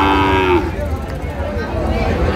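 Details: Sahiwal bull calves at the traditional Ambari cattle market in Dinajpur, Bangladesh, on Friday 28 February 2025; one short low moo in the first half-second, then crowd chatter and market bustle.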